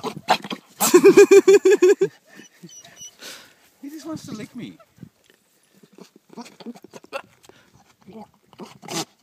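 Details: Male billy goat bleating at people: one loud, quavering, pulsing bleat lasting about a second, surrounded by human laughter and speech, with a few softer sounds afterwards.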